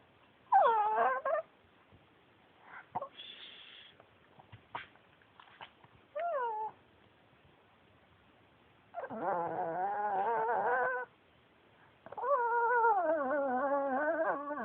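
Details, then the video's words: Yuyu, a male Pekingese adopted from a shelter, talks in short whiny yelps early on, then two longer wavering, moaning vocalizations with rich harmonics, separated by quiet pauses and small clicks. "pekingese talking"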